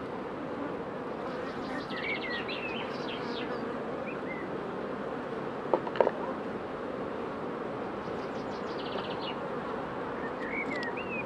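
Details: Honey bee queens during pre-narcosis before instrumental insemination: a steady, dense low-to-mid buzzing hum runs throughout, with short chirping bird notes above it and a few brief clicks near the middle.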